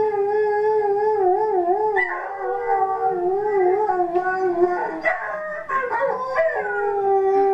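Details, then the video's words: Lexi, an Alaskan Malamute rescued a week earlier, gives a sustained wavering howl with a steady undulating pitch, then breaks into yodel-like sliding notes and short yips before settling back into a long even tone. "Malamute Howling"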